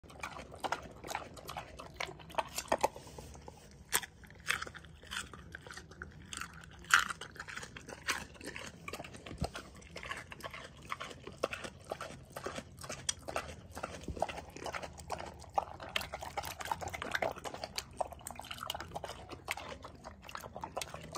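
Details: Rescue pig Paulie at Arthur's Acres Animal Sanctuary in upstate New York slurps and chews cucumbers; dense, wet, crunching smacks and bursts of slurping run steadily throughout, indoors.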